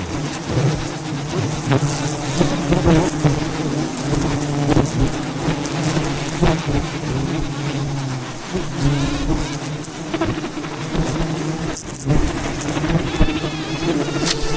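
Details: Thousands of wild bees surround a giant wild beehive high in the mountains during a traditional honey harvest, making a steady low droning hum with sharp knocks and rustles over it.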